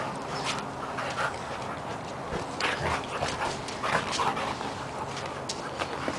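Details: A pair of Siberian Huskies wrestling in play, trading short, rasping growls and brief whining vocal snatches. These come at uneven intervals over steady scuffling and breathing noise throughout.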